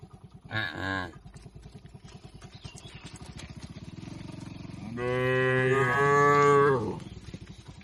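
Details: Tame cattle eating grass among oil palms in Indonesia. A short, clipped call, then a long, swelling moo of about two seconds, over a steady pulsing low-pitched background noise.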